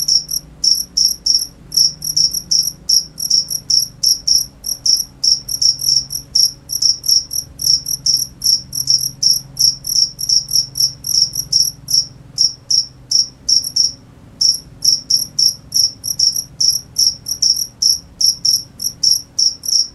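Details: Cricket chirps in a long, fast series of short shrill pulses, several per second, with one brief pause near the middle before resuming; quiet low hum in the background.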